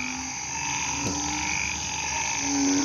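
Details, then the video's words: Night frog chorus after rain in a hospital's agricultural garden plot, long level droning notes that rise slightly, overlapping voices, one brief click partway through, constant insect-like high hum behind. "เสียงอึ่งอ่าง เขียด ร้องระงม"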